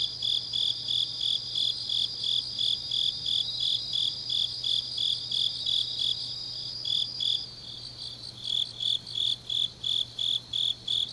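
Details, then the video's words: Grass insects on a deep autumn night in Changnyeong, South Gyeongsang: rhythmic high chirping, about three pulses a second, under a steady shrill trill that stops after about seven seconds, leaving the chirps alone. "깊은밤 가을 풀벌레 소리"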